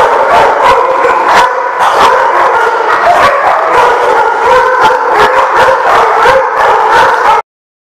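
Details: A group of dogs at The Barking Lot, dated 7/3/15, barking and howling together in a steady overlapping clamour, loud and distorted, cutting off abruptly before the end.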